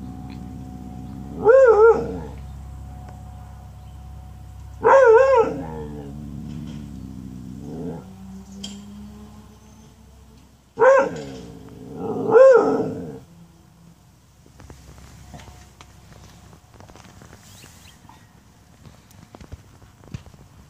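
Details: Pet dog, female, barking at a UPS delivery truck: two pairs of strong harmonic barks, the first pair near the start and the second after a pause, followed by quieter low noise.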